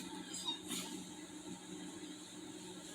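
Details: Quiet indoor room tone with a steady low hum and faint mechanical clicking and rustling; no dog vocalising.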